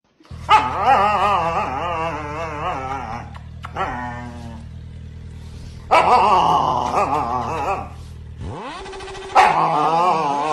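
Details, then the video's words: Siberian Husky growling because it does not want a kiss: long, wavering, whine-like vocal growls, one of about three seconds and then shorter bursts, over a steady low hum. "Husky dog don't want kiss"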